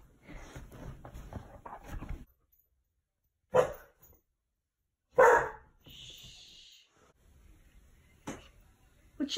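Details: Dog at home barking at a bug on the ceiling: a woman speaks first, then sharp single barks come at irregular intervals of one to three seconds, with a squeaky sound between them.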